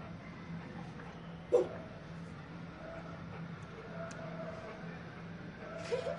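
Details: Rottweiler; bark; barking on command to speak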